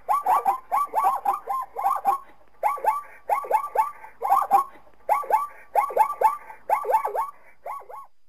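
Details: Zebra calling in a steady series of short, barking yelps, grouped in quick bursts of two or three notes and repeated throughout with brief pauses between.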